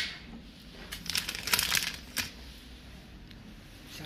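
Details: Crinkling and rustling in a small room over a low hum, with faint speech and no animal voice.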